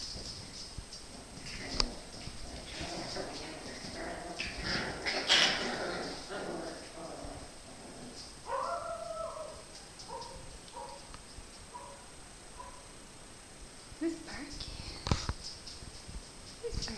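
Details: Moxie's 2012 litter of puppies at play, giving short high whines and yips in scattered bursts, some rising, with clattering thumps and occasional human voices in the background.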